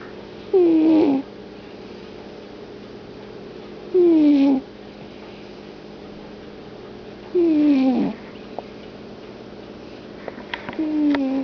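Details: Deeply sleeping domestic cat snoring in a steady rhythm, four falling, slightly rasping snores spaced about three and a half seconds apart, each lasting under a second, with faint clicks near the end.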